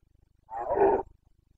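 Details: A single brief, hoarse roar lasting about half a second from a Carpathian stag in rut, Bucovina, 29 September 2022, over a faint low ticking background.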